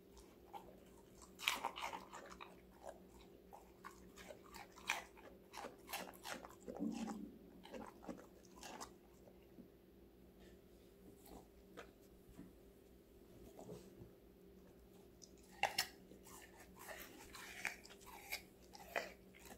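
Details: Female Golden Retriever Connie, aged five months, crunches through various vegetables in a close indoor ASMR recording. Busy crunching early on, a calmer quieter stretch midway, then renewed crisp bites near the end over a low hum.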